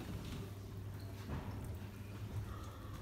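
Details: Quiet low hum and faint background noise with a soft door-like slide, no animal calls heard.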